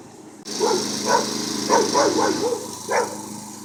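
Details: Puppy picking a fight with a moving lawn mower: a quick series of short, high yapping barks in bursts, over a steady hum of engine noise.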